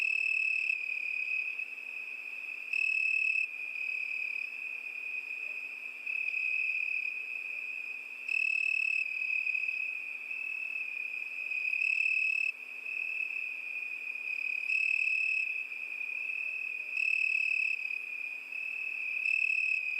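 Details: Cricket singing a steady, high, ringing trill that never stops, with slightly louder, brighter stretches every two to three seconds; no other animals or voices, only a faint hiss beneath.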